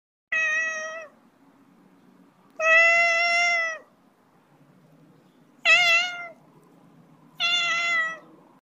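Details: Cat (Felis catus) gives four drawn-out, harmonic meows with quiet pauses between them.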